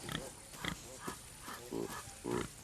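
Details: Common warthogs in Kenya's Masai Mara, near impala, stop grazing to form a barrier that sends a hyena back. Short grunts repeat about every half second, the last ones deeper and fuller.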